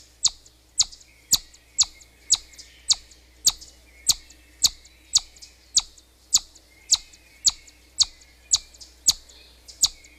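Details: Long series of piercing chipmunk chirps, about eighteen sharp high notes at a brisk, slightly uneven pace of roughly two per second, over a quiet background.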